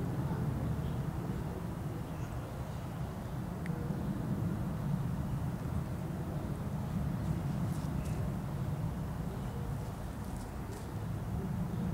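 Only a steady low rumble like passing traffic is heard, with no animal calls.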